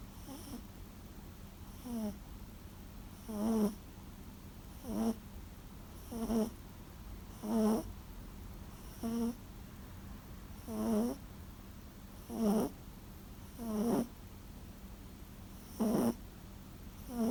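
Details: Sleeping Toy Poodle Sara, once a rescue dog, gives loud old-man-like snores indoors: about a dozen gravelly bursts, one every second and a half or so, each rising and falling, with quiet hum between.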